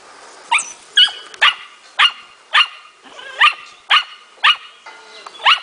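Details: Smooth Fox Terrier puppy aged four months, showing its innate hunting instinct in playful training: a steady run of about ten high, sharp yapping barks, roughly one every half second.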